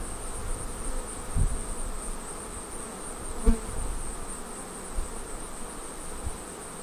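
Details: Honey bees around a Flow Hive during honey extraction that causes the bees no stress. A low, rumbling drone carries several dull thumps and handling knocks, one sharp knock near the middle, and a steady high whine in the background.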